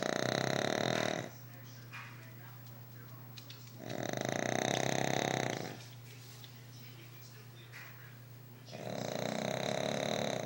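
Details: Overweight dog asleep and snoring very loud, three broad grating snores recurring about every four seconds, each around two seconds long, over a continuous low hum.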